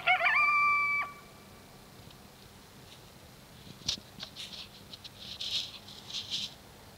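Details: Coyote calling at dark: a brief high howl with harmonics in the first second, then quieter scattered yips and rustling noises over the following seconds.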